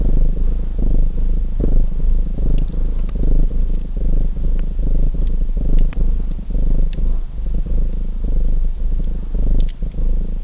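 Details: Continuous rumbling purr of a domestic cat with fainter breath pulses, blended with frequent crackling and popping from a burning fireplace throughout.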